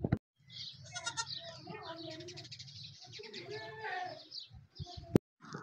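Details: Newborn Beetal goat kid, born to a slightly weak mother in village surroundings: long, wavering, tremulous bleats with a low rumbling background, broken by a sharp knock and brief voices.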